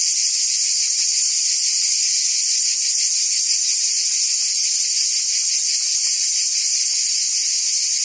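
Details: Cicadas sing a continuous, high-pitched buzzing drone without pause in summer in Provence, France.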